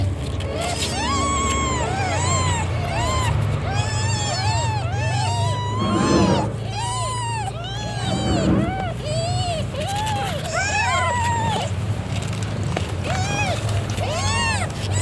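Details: Newborn kittens of the domestic cat Cimoi call in a dense chorus of bright, arching mews, many overlapping and repeated quickly, while a constant low motor hum runs underneath with brief muffled thumps.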